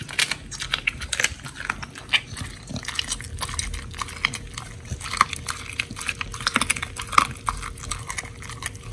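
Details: Pit bulls Oli and Nommy eating raw food, including giant white snapper, recorded October 21, 2023: dense wet crunching and tearing clicks in rapid irregular bursts, with a faint steady hum underneath.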